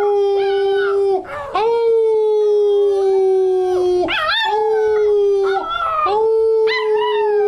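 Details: Pippin, a 10-week-old male American Cocker Spaniel puppy, howls on cue for the first time, holding long level notes for several seconds while bursts of quick rising and falling yips cut in.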